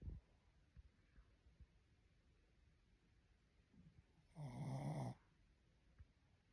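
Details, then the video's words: Sleeping Shih Tzu snoring: one loud rough snore lasting under a second near the middle, surrounded by quiet breathing and faint soft snorts in a still room. "My baby snores like a human!"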